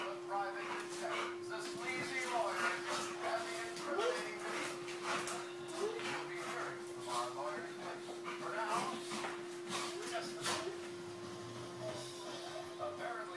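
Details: Two pet dogs, Nikita and Akilles, playing together and showing their affection: short sharp yips and barks with whimpering in between, under frequent human talk and a steady electrical hum.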